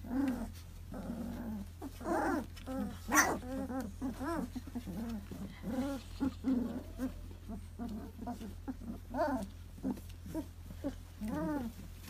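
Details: A litter of two-month-old puppies calling nonstop: quick bursts of high, harmonic yelps and whines, some rising then falling, following one another every fraction of a second with a steady low hum underneath.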